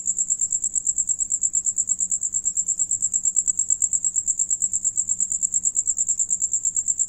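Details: Singing crickets, one of them eating meanwhile; an unbroken shrill pulsed chirr held at one high pitch, beats steady at around eight per second, soft low background noise.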